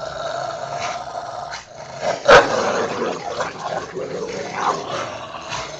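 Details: Rottweilers Ceffy and Oscar tussling over a toy in the back yard, giving a steady low snarling growl throughout, punctuated by one sharp louder burst around the middle.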